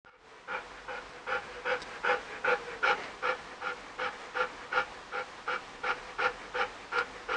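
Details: Eight-and-a-half-year-old female Malinois named Shuncu, ill with two types of cancer, panting while playing with her toy pig; quick, even breaths about two and a half per second, steady and rhythmic throughout.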